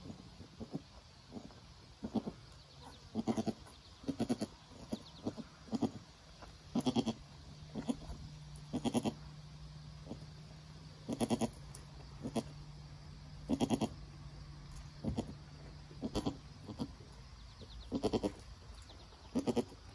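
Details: Nigerian Dwarf mother goat with her newborn doeling kid as it stands and nurses, the mother encouraging it. Short, low, soft grunting calls repeat in quick clusters throughout, with a steady hum in the background.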